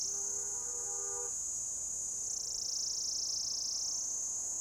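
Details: A rare orange-coloured cicada on a lichen-covered old deodar trunk in a Himalayan forest at Jabbarkhet, Uttarakhand, India, gives its mating call, a loud, steady, high-pitched buzz modulated as its abdomen extends and retracts, droning without a break.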